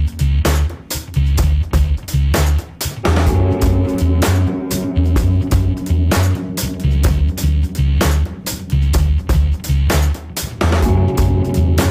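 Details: Loud, driving music with a heavy drum beat and plucked guitar fills the whole stretch, and no animal voice is heard.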